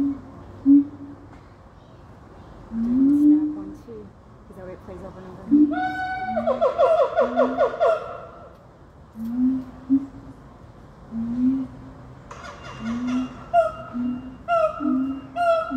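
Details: Siamang family group in chorus, a call said to carry two miles: deep resonant booms repeat about once a second beneath loud bursts of rising, harmonic barks and wails that swell and break off, then return.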